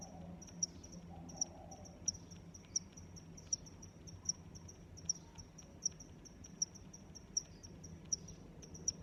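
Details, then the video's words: Cricket chorus with high, sharp chirps spaced roughly every three quarters of a second, fainter overlapping chirps between them, over a low continuous background rumble. "Sounds of Crickets"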